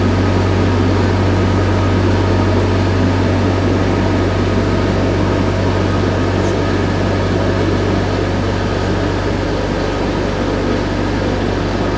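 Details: Loud, constant engine drone from a ferry crossing the IJssel at Deventer, with a deep steady hum and no animal voice.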